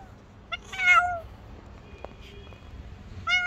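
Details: Frightened stray tabby cat hiding under a car, afraid of people, gives a loud drawn-out falling meow near one second after short chirps, then another meow begins at the end; faint street background.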